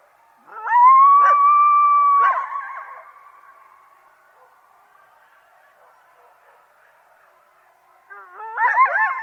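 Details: Coyotes: one long, smooth, level howl lasting nearly two seconds that slowly fades, then a quiet gap before a burst of quick, wavering yips and wobbling howls at the end.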